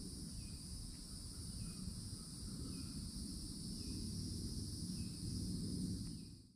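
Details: Summer cicadas buzzing in a steady, high two-toned drone at a Florida woodland edge, with faint repeated bird calls and a low rumble, all fading out sharply at the end.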